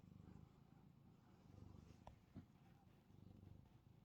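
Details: Sleepy domestic cat, a male, purring while his chin is scratched as he tries to nap; a steady low rumbling purr runs throughout with gentle swells, and a couple of brief faint clicks sound near the middle.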